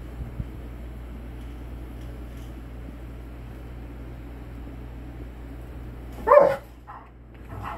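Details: A Rottweiler playfully scaring a Shih Tzu: after a long quiet hum, a dog gives one short, sharp bark.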